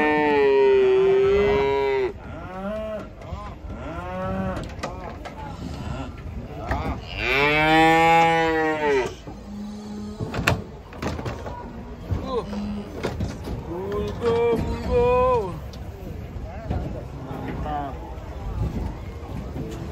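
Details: Cows coming down off a truck, bellowing in long drawn-out moos, one strong arched call around the middle and others rising and falling, separated by pauses with rattling, thumps and faint human voices.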